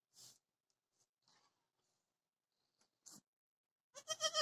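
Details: Dwarf goat birthing triplets, recorded 26 October 2020; mostly quiet with small rustles and soft shuffling, then a loud, wavering, harmonic bleat broken into rapid pulses at the very end.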